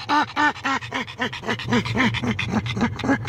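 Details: Pug Grimley, very excited in the car rather than hot, lets out a series of arching, panting yelps, slowing and softening then bursting again, about three to four a second over engine drone.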